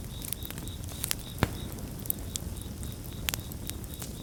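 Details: Crickets chorusing beside a crackling bonfire, a steady stream of short high chirps repeated several times a second, overlaid by sharp irregular pops and snaps of burning wood and a low rumbling fire bed.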